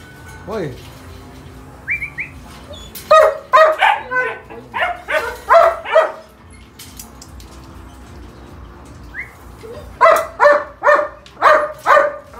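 A German Shepherd barks in two rapid bursts of deep, harsh woofs, several each second.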